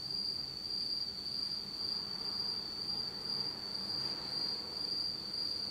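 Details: Insects singing on an autumn night in Japan, in total darkness: a steady, high, shrill trill holding one pitch without pause, with a faint second tone above it and soft low background hiss.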